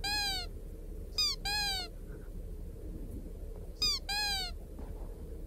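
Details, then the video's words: Pet hedgehog making a squeaky 'kkyup' call while eating at a Christmas party: five short, sharply falling squeaks, some closely paired, over quiet indoor background noise. "뀩 소리내고"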